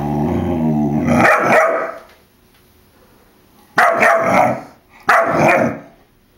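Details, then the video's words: Puppy Jack, four months old, barking at a balloon he does not like: a growl runs into a loud bark, then silence, then two sharp barks about a second apart. "Jack BARKING MAD!"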